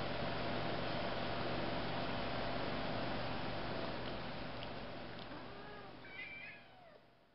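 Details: Five-month-old kittens still drinking their mother's milk give a few soft, falling meows in the final seconds, half-buried under a loud, constant broadband rumble that slowly fades.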